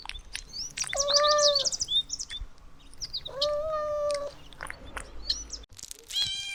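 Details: Playful puppies in a garden let out two drawn-out, level, nasal whines of about a second each, with short squeaky chirps and clicks in between.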